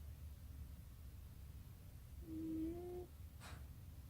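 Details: Cat snoring indoors, mistaken at first for a mechanical noise: a low steady rumble under a short whistling tone that rises and then holds, followed by a brief breathy snort.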